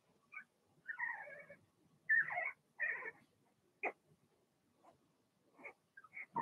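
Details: Blenheim Cavalier King Charles Spaniel puppies from a litter of six in a home puppy pen: high, harmonic yelps and drawn-out whines in a quick run, then short sharp yips, with brief quiet gaps between bursts.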